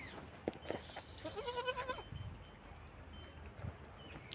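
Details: Beetal goat at a farm in Koldam where goats and kids are sold; a single trembling, harmonic bleat lasting under a second in the middle, preceded by a few knocks and followed by faint farm background noise.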